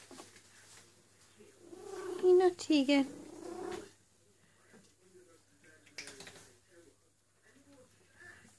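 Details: Eule, a female domestic cat in heat calling for a boyfriend while rubbing her neck fur, gives a long, drawn-out, wavering yowl that bends up and down in pitch, followed by softer murmurs and rustling in a small room.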